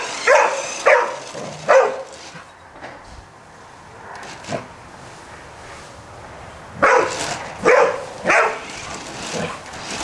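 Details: Golden Retriever barking at a Spiderman toy: two bursts of sharp, broad barks, three at the start and three more near the end, with quieter yelps between.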